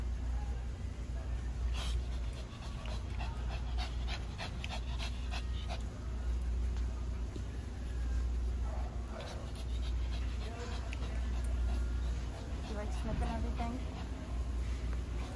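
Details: Shih Tzu dog Lacey, who loves the smells at PetSmart and enjoys her treats, pants in a quick, uneven breathy rhythm of soft rasping huffs for about fifteen seconds, under a low background hum and occasional speech.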